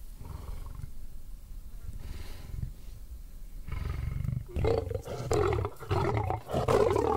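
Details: Charging African lion: low, throaty growling builds steadily, then breaks into louder, rougher roaring bursts in the final seconds, interrupted by brief gaps.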